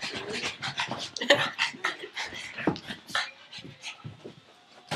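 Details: Pet pug named Frankie panting indoors while chasing a tug toy held in someone's arm; quick breathy bursts follow one another several times a second, a short squeaky tonal note breaks in near the start, faint voices behind.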